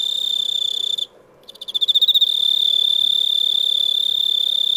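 A cricket trills steadily on a high, pure pitch, with a brief pause and a pulsed restart.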